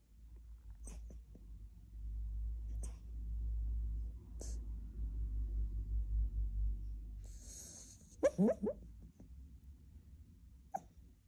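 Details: A sleeping male Cairn Terrier puppy dreaming, giving a quick burst of soft, squeaky yips over low breathing rumble.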